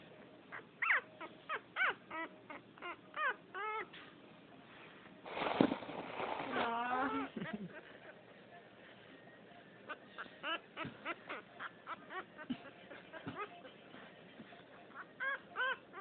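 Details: Pouting French Poodle puppy, a chubby female from the second litter, gives many brief arched whimpers in irregular runs; a loud rustling burst with drawn-out whines sits in the middle.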